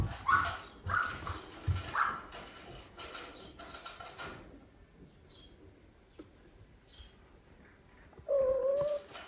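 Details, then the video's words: Indoor cats, an older female and adopted foster kittens meeting; a burst of short, high chirping mews in quick succession, a quiet pause, then one long, steady lower meow. "The older sister meets the adopted kitten Meow / mom cat voice"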